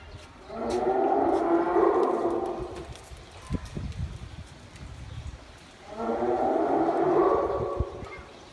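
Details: A hyena at a small zoo in a Saitama park gives two drawn-out, resonant moaning howls, each held at an even pitch for more than two seconds, separated by a quiet pause with faint background murmur.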